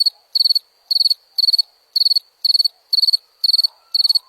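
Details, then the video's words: High, pulsed cricket chirps, each a short burst of several rapid ticks, repeated at an even pace of about two per second with near silence between them. "Som de grilo"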